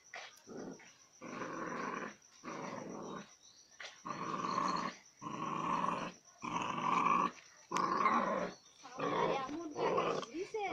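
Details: Puppies fighting, giving a run of harsh, rasping growls in bursts about a second long, separated by short gaps and coming nearly once a second, louder in the middle stretch; a faint steady high whine runs beneath.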